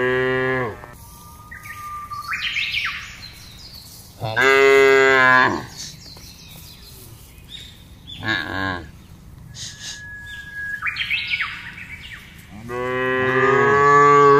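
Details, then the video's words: Cattle herd moving calmly through expansive grassland while being driven; four separate moos of varying length across the recording, interspersed with clear whistled bird calls and soft rustling. "Menggiring Sapi Lembu Berkeliaran menyusuri Padang Rumput yang luas dan diiringi suara sapi"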